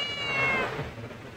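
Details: A homeless, hungry cat that lost its family and is being fed: one loud, long, harmonic-rich meow, high and slightly falling, with faint background noise.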